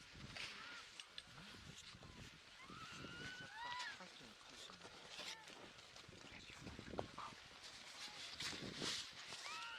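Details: Baby harp seal on Madeleine Island, Canada, on 29 February 2020, crying among other pups calling nearby: short, thin wails that rise and fall, repeated irregularly through the clip over steady outdoor background noise.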